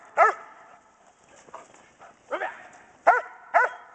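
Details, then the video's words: Schutzhund bark and hold practice with Kodiak, a female German Shepherd Dog expecting 10 puppies, recorded January 15, 2010: four forceful barks spaced unevenly over four seconds, softer huffs and rustling between them. "GSDs BARK & HOLD"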